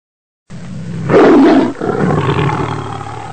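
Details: A tiger on safari gives a deep, rough roar that swells quickly and fades into a lower rumbling groan, heard by a sambar deer. Tiger.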